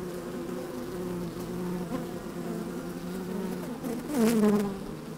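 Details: Colony of honey bees busy at work in an opened hive on a sunny, slightly windy day, recorded from within the hive: continuous low drone, with one louder buzz sweeping downward near the end.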